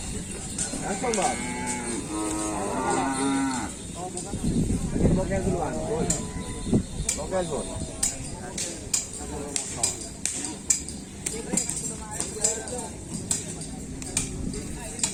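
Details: Cattle at a kerapan sapi bull race at Griduh Onggu, with bulls from Sapudi island. Several wavering, bending moos come in the first seconds, followed by crowd noise, sharp knocks and clatter.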